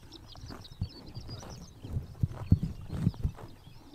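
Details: Close-up of horses biting grass on a sunny summer morning in Mongolia: deep muffled thuds and chomps, clustered, with quiet high bird chirps at the start.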